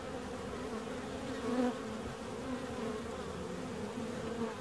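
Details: Steady low humming of bees, a thick continuous drone of overlapping tones with a slightly louder swell around the middle of the clip.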